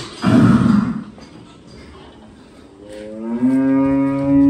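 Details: Sahiwal bull at Buddu Cattle Ranch, Keraniganj: a short rough low bellow, a pause, then a long, steady, tonal moo with rich harmonics that swells toward the end.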